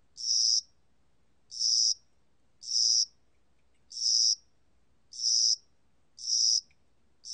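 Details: Cricket song of spring and summer, with sharp, high buzzy bursts repeated a little less than once per second and slightly uneven spacing, with a still background.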